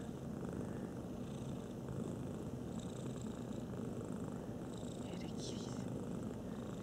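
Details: A cat purrs continuously, a soft low vibrating drone that keeps an even rhythm for about seven seconds; a faint brief rustle comes near the end.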